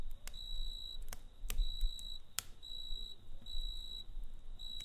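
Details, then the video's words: Night cricket by a campfire, its high trilled pulses recurring at short intervals while loud, frequent fire crackles and a deep rumble fill the background. "Kamp Ateşi ve Cırcır Böceği Eşliğinde Dinlendirici Gece Sesi"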